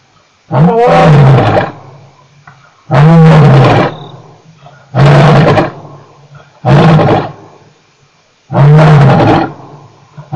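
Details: Male lion at Nkorho, 29 September 2008, roaring: deep, drawn-out moaning roars about two seconds long, repeated roughly every two seconds, each swelling loud then fading, with quiet gaps between.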